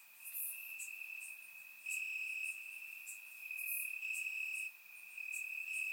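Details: Crickets in grass on a warm Bulgarian summer night produce a constant shrill trill that grows louder in long swells, with quick bright chirps from neighbouring crickets repeating above it.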